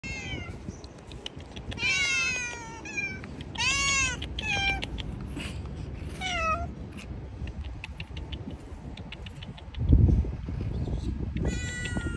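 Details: Homeless street cats living outdoors, several meowing in turn: clear arched meows with rich harmonics rising and falling, about six calls across twelve seconds, over steady low traffic rumble and a thump near the end.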